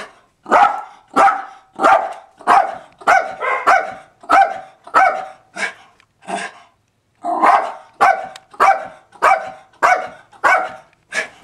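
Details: Zoey, a female pet dog, barks in a steady run of about sixteen sharp, loud barks, roughly two each second, with a short pause in the middle before the barking resumes.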